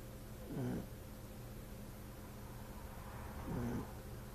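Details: French bulldog snoring, two low rumbling snores about three seconds apart over a steady background hum.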